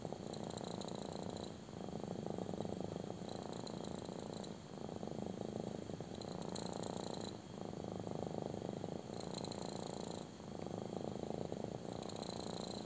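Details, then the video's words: Intense purring from a kitten enjoying a belly rub: deep, even rumbling in repeated phrases of about one and a half to two seconds, each broken by a short breath gap. "CUTE KITTEN LOVES BELLY RUB! | INTENSE PURRING"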